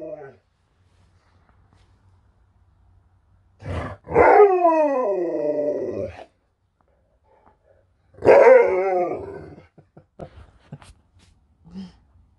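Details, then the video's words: Sherpa, an Alaskan Malamute, answers a question about being hungry with two drawn-out, wavering howl-like talking calls, each sliding downward over about two seconds, separated by a pause, with a few short murmurs after. "Talking Malamute"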